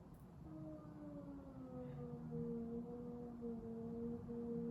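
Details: Cat during a fight giving long drawn-out, low tonal yowls that hold steady and slowly sag in pitch, overlapping one another for several seconds over a dull background rumble.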